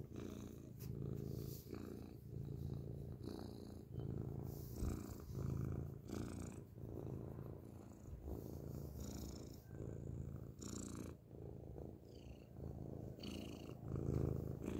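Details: Up close, a grey cat purrs loudly: a low, throbbing drone that rises and falls in breath-length cycles throughout, with scattered soft scratchy and rubbing sounds from handling or fur against the microphone.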